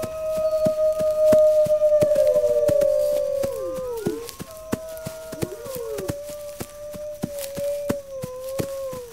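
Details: Wolves howling to alert pack members to gather defenses: a long, steady, mid-pitched howl held about four seconds before sliding down, then overlapping higher and lower howls rising and falling in chorus, over a steady patter of sharp clicks.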